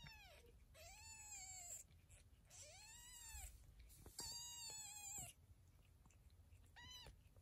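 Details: Mother cat rescuing and tending her tabby and ginger kittens: five loud, drawn-out meows, each rising and then falling, some long and strained, separated by short pauses over a low background hum.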